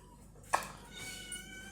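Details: A kitten or young cat, among several indoor house cats, gives a brief, sharp meow followed by softer, drawn-out mewing tones.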